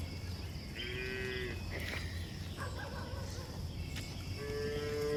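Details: Cows on a hill walk, with short tonal moos at the start and end, quieter and more distant, over a steady low rumble and some scattered clicks of movement.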